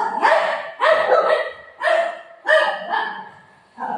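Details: Playful golden retriever barking during play with its owner; a run of about five harsh, full barks, some sharply clipped and some trailing off, spaced irregularly.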